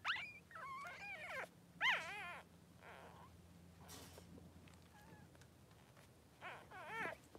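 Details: Three-day-old Blenheim Cavalier King Charles Spaniel puppies in their newborn pen with mother Pom-Pom: high, wavering squeaks and whines come in bursts, with quiet gaps and soft rustling between the cries.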